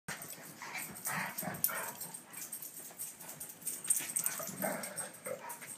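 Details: Two dogs, one big and one little, named Sandy and Dottie, playing together; rough, breathy growls and short yips come in uneven bursts, with scuffling and a faint steady high whine behind.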